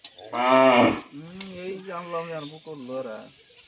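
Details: Local cow undergoing artificial insemination with Sahiwal semen gives one loud, harmonic, slightly rising moo lasting under a second, followed by men talking nearby.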